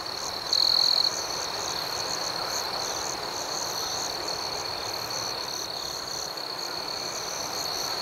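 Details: Nighttime cricket chorus outdoors, a continuous shrill high buzz with a softer pulsing shimmer above it. One louder chirp stands out early, lasting about half a second, then the steady drone carries on.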